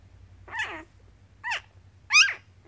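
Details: One-week-old Goldendoodle puppy, from a litter of twelve born April 19th 2014 to a Goldendoodle mother and Poodle father, giving three high, wavering squeaky whines, each under half a second, in a quiet room.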